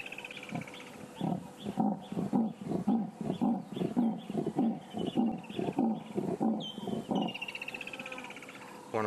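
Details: Leopard mother calling while unable to locate her cubs: a rhythmic series of about a dozen hoarse, sawing rasps, roughly two per second, with birds whistling in the background.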